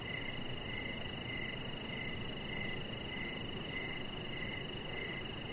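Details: Outdoor evening cricket chorus by a deck with a chihuahua puppy: rhythmic mid-pitched chirps about twice per second layered over a constant thin high tone, quick faint pulsing higher still, and a low ambient rumble.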